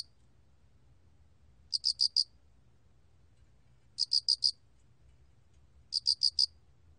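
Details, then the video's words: Alrak cricket chirping, 2020 recording: three quick bursts of four sharp, high pulses, spaced about two seconds apart, with a faint low hum behind. "알락귀뚜라미, 여러번 듣기, 곤충소리"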